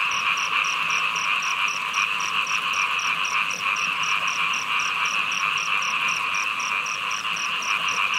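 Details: Steady frog calling in heavy rain, dense overlapping voices forming a constant hum, with a crisp high ticking pulse repeating rapidly and evenly, plus a few faint higher clicks.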